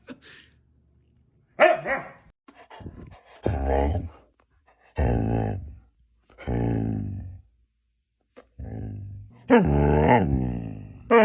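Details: Husky dogs waking someone up: a series of long, deep, drawn-out howling moans and rough yowls, some sliding in pitch, separated by short pauses, with a few louder harsh bursts near the end, indoors.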